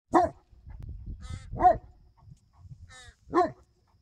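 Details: Newfoundland dog at a dog park in one of many screaming battles with a crow: three loud, deep barks about one and a half seconds apart, with thinner, harsher calls between them and faint background rumble.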